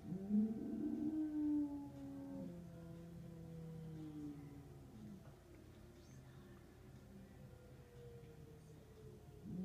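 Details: Diesel, a dog, howling at a monthly emergency siren test on 3-12-2016. A wavering, low tonal howl is loudest in the first two seconds, then fades into long, steady, drawn-out tones that continue quietly to the end.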